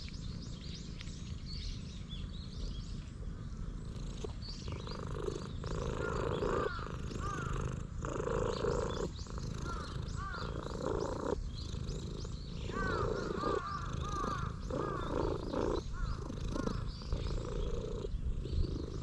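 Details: Stray cat in a park purring loudly while leading the way to the playground equipment, filmed on a GoPro: a deep, steady rumbling purr in pulsed bursts, broken by short breathing pauses about every second or two, with faint higher chirps behind.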